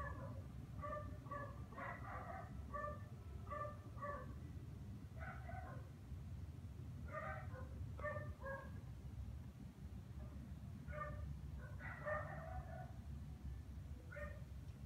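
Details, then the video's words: Dog in the Philippines at Christmas time barking on and on for no clear reason, heard from a distance: clipped, harsh barks in irregular bursts with brief gaps, over constant low-pitched background rumble. "Some dogs just start barking like there's no tomorrow for whatever reason"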